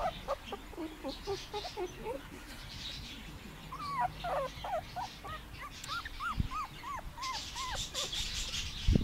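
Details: Puppies on their first day in the garden, 2017: scattered soft squeaks early on, then a run of short arched whines near the end, with faint background rustling and a brief hiss.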